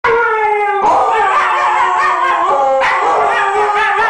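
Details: Two Siberian huskies, one over a year old and one just over six months, howl together in the morning, each trying to outdo the other; long quavering tones overlap, sliding and wavering up and down in pitch.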